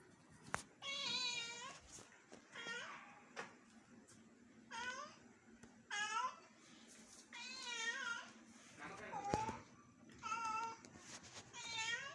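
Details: Domestic cat indoors in Bangalore, attempting to befriend a house lizard, repeats short wavering meows about every one to two seconds, roughly eight in all, with faint human voices and a low hum behind.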